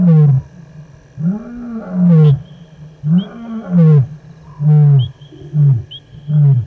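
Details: Male lion S8, after crossing the Gowrie dam wall at Djuma Game Reserve, Sabi Sand, South Africa, roars in an open area on the far side at 19:47 on 18 August 2022. The roars come in deep, moaning, rise-and-fall bursts about every second.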